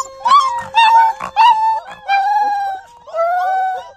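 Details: Puppies howling for the first time as they discover their voices: five short tonal howls, each under a second, some rising then holding level, with brief gaps between, over a faint steady tone underneath.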